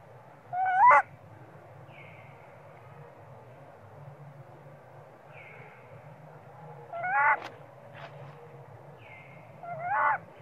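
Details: Baby monkey Sweet Pea strongly crying for milk out of hunger as mom ignores him; three loud harmonic screams spaced several seconds apart, each preceded by a fainter short whine, against a low humming background.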